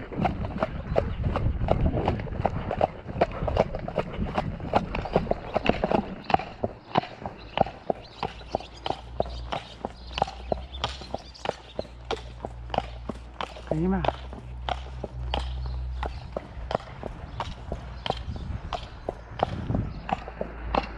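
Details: Hooves of the Shire horse De Goot Damon clatter in a continuous clip-clop on the May 2 trip to Falkendorf, Ostsee Shires. A low rumble joins partway through, and one brief voice cuts in.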